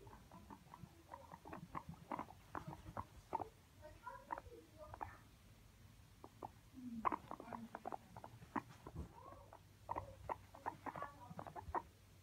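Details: Escaping household guinea pigs picked up by a phone lying on the ground near a bed; brief sharp squeaky chirps come in irregular runs of several, some clustered, with quiet room hum between.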